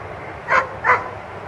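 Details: German Shepherd barking during a protection training exercise at a 2015 protection-dog competition: two short, sharp barks about a third of a second apart against a low background murmur.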